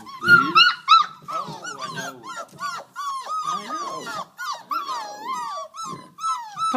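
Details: Litter of five-week-old Border Collie pups from Mount Pleasant whimpering and yelping together: overlapping high rising-and-falling whines, almost unbroken, with sharper yelps between, plus a person greeting them softly.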